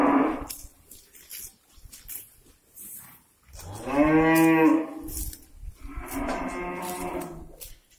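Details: Morning on a breeding farm as cows graze freely and call out: one strong, rich moo lasting about a second and a half around the middle, then a second fainter, more nasal moo near the end, with scattered clicks and shuffling.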